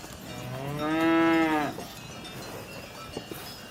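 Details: A single cow moo, a drawn-out harmonic lowing that swells and fades over about a second, with faint low rumble and quiet background afterward.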